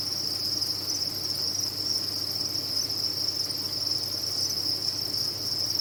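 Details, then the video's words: Farmed crickets calling together in captivity: an even, continuous high-pitched trilling wash with no pauses, steady in loudness throughout, over a faint low background hum. "Sound of a Cricket Farm"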